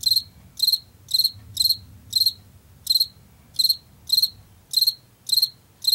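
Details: Washington field cricket, the common cricket of late summer and fall, chirping steadily: short high trilled bursts of a few pulses, about two per second, clear against a quiet low background rumble.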